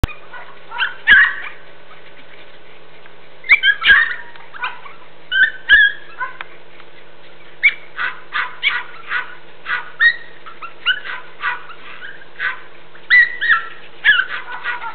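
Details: Border Jack and Jack Russell puppies playing at a farm kennel in northwest Texas, August 27, 2010: many scattered high yips, squeaky barks and little growls in irregular bursts over a steady low background hum.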